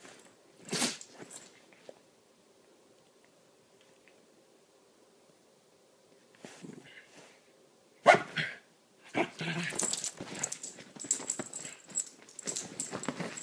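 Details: Two small dogs, Lilah the Chiweenie and Minnie the Rat Terrier/Chihuahua mix, playing together: quiet stretches broken by sharp barks and scuffling, with a burst of rapid loud yaps and rustling in the last five seconds.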